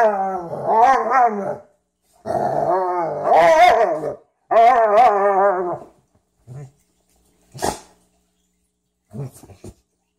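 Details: Domestic dogs, a Frenchton and a Rhodesian ridgeback, playing together for the first time. Three long, wavering, moaning growls of about one to two seconds each, followed by a few short soft huffs and snorts.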